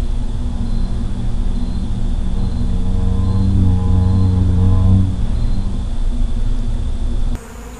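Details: Feral honey bee colony buzzing: a steady low droning hum that swells and brightens around the middle as layered tones climb, then fades back before an abrupt cut to quieter background.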